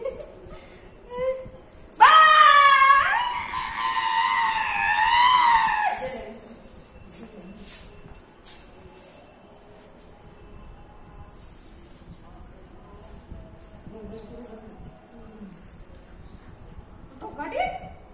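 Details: Golden Retriever Max, pushing for his morning play session in a small room: a loud, sustained, wavering high whine lasting about four seconds, then quiet household sounds and a brief short cry near the end.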